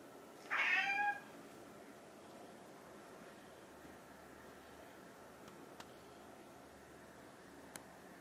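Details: Short, bright meow from a hungry pet cat, either the orange tabby Chai or the silver tabby Sushi, demanding food at home; one clipped call near the start, then near silence with a couple of faint clicks.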